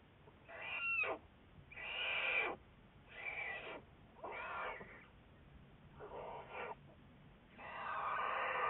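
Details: Juliet, an American black bear studied by the Wildlife Research Institute, on February 10, 2014: six harsh, breathy bursts about a second long, each rich and raspy with a faint tonal streak, separated by short quiet gaps.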